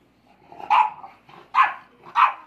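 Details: Playful royal rumble among four-month-old English Bulldog puppies: three loud, rough barks, the first preceded by a low muttering growl, each bark about three-quarters of a second apart.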